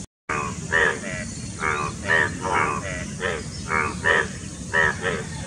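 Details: ['Indian bullfrog during courtship and mating near Dombivali, Thane district, Maharashtra, India, on 9 June 2018; males have two throat vocal sacs. Short croaking bursts repeat about twice per second over a steady low rumble.']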